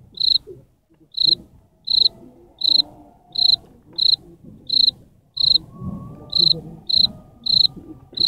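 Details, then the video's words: A cricket sings in brief, bright high chirps spaced roughly two thirds of a second apart, fairly steady, over soft low background rumble and faint rustling. "Como. Cantan. Los. Grillos"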